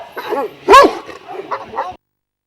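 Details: Šarplaninac from a kennel of twelve Vujanski-lineage dogs in Jasika near Kruševac: one loud arching bark flanked by a few softer, shorter barks, then silence.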